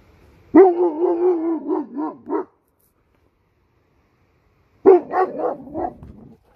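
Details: Eight-month-old male Turkish Kangal dog on a leash near a highway, barking after a coyote ran across the path, ready for guardian work; two bursts of rapid, deep, rough barks separated by a few seconds of silence.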